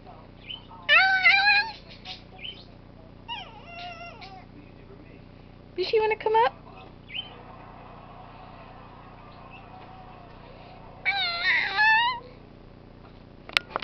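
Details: Bitsy the cat, wanting to come up, repeats short rising-and-falling meows in separate bursts several seconds apart, some sharp and bright, over a quiet steady hum with a click at the end.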